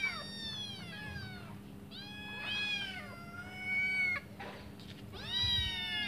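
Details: Kittens, five and hungry, waiting for their mother to return and feed them, give drawn-out, high, quavering meows, some long and gliding, others short and rising, over a faint low hum.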